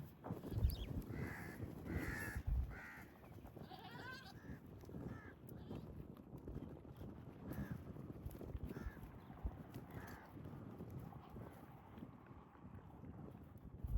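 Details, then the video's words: Goats in mating season, males courting pregnant females; several short harsh bleats clustered in the first few seconds, then sparser faint calls, against low rumbling outdoor noise and a steady high hiss. "Epic & Romantic Goat Battle: Strange Sounds, Gentle Touches & Pregnant Females"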